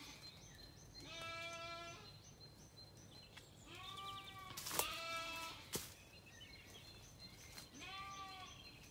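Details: Sunset on an Irish farm in County Kilkenny: Zwartbles ewes and a lamb call back and forth while settling for the night after feeding. Three wavering, tonal bleats come roughly every three seconds, with a sharp knock between them.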